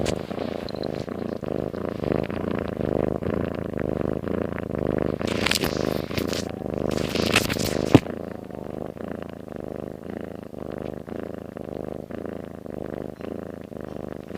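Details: Domestic cat sound asleep, snoring: a steady low rumbling purr-like snore pulsing in rapid regular beats throughout, with brief rustling bursts around the middle.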